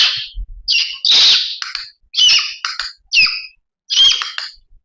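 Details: A blind baby monkey gives shrill, harsh screams in short bursts. It screams when panicked or in tight spaces, and also when expecting its favourite food; here it reacts to a clicker.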